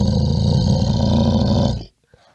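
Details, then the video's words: Bear letting out one deep, rough growling roar just under two seconds long that stops abruptly. "Le son de l'ours, le son d'un ours"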